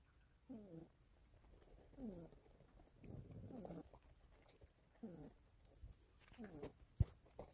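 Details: Youngest, playful pet cat asleep and snoring indoors: soft rasping snores with rattly, falling overtones come roughly every one and a half seconds, quiet between, one sharp click near the end.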